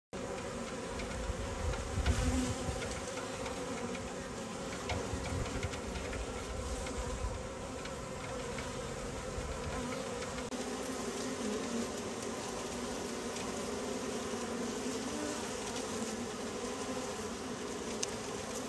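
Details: Bees going about their activity, filmed recently or the year before: a dense, steady buzzing hum with layered drones in the low-mid range throughout, swelling slightly around two seconds, with no other clear sounds.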